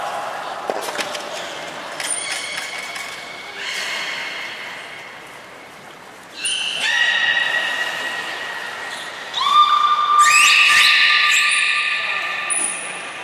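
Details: Belugas Nana and Niko during a training session at Port of Nagoya Public Aquarium, 7 October 2018: long, flat, harmonic-rich tones that step up and down in pitch, with thin high whistles and brief clicks between them.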